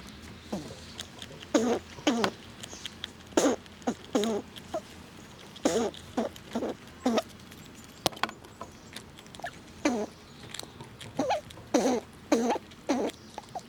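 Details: Squirrels in winter eating nuts and pushing each other around; bursts of crunchy gnawing and cracking, short scratchy crackles repeated every second or so, with quiet gaps between.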